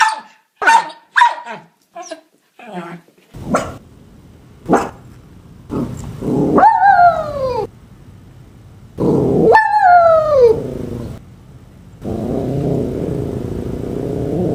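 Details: West Highland White Terrier with a rapid burst of short, sharp yaps, then long, falling whining howls. Human voices and a steady background hum are also heard.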